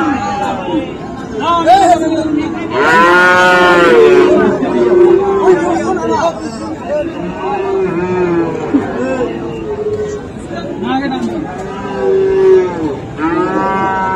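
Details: Several moos from Friesian and crossbred bull calves at Raniganj livestock market, Dinajpur, Bangladesh, 7 November 2024. A loud, strained bellow is followed by shorter overlapping lows from other animals amid steady crowd chatter.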